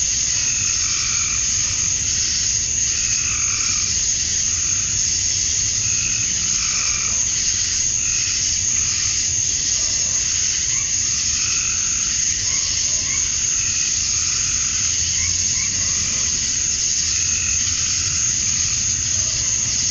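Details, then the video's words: Many male cicadas calling to attract females during summer dusk in Georgia, USA: a constant piercing buzz, with scattered short chirps and pulsing notes from other night callers drifting in and out over twenty seconds. "Cicadas at Dusk, Summer Night"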